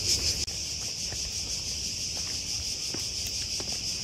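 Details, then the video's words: Many loud cicadas at the Ancient Agora in Athens, Greece, during hot summer: continuous high, hissing buzz holding steady, softer here, with light footsteps or patter and one brief click. "On entend les cigales, il y en a partout, elles sont en boucan."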